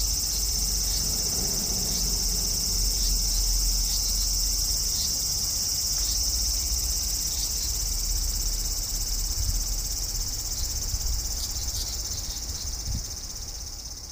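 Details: Cicada in a front-garden cherry tree on a hot August evening, 2012, producing a steady piercing whine without pauses, with faint low rumbling background noise underneath.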